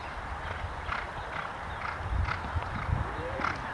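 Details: Hoofbeats of a jumper competing in a show jumping round at the Parkside Horse Show, Table II section B: heavy, low, dull thuds roughly every half second, strongest near the end, over a steady noisy background.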